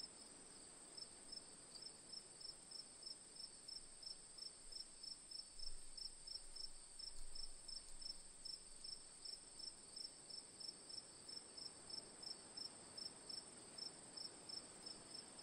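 Crickets chirping in steady, rapid pulses over a continuous high-pitched trill.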